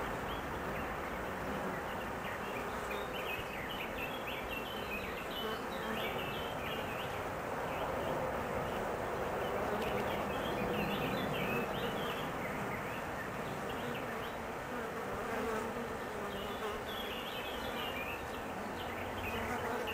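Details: Anxious honey bees at their hive while the queen is out on her mating flight, her failure to return meaning the colony's decline; a thick, continuous roar of many buzzing wings with rapid, irregular higher flutters throughout.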